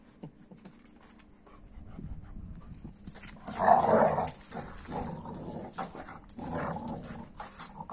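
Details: American Staffordshire Terrier reacting with strange noises to a 15-week-old Kuvasz puppy indoors; low grumbling growls and whines, swelling into a louder moaning growl midway, then further rumbling bursts.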